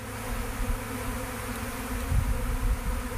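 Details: A swarm of honey bees without a home, gentle and crawling into a box as they are caught, makes a dense, low, steady droning buzz.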